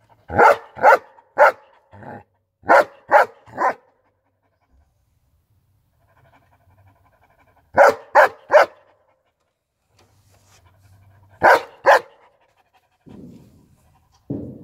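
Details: German Shepherd barking in short bursts of three or four sharp, loud barks, separated by quiet pauses of several seconds, with softer rustling and a low muffled sound near the end.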